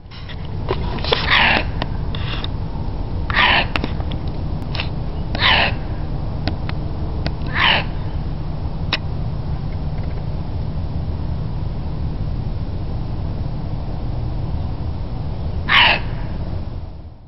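A fox gives short, hoarse, sneezing barks spaced a few seconds apart over a low background hum.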